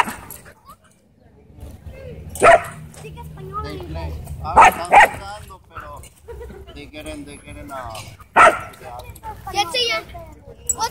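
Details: Wolfdog at a dog park, threatening a man: a few loud, sharp barks spaced a couple of seconds apart among people talking and laughing.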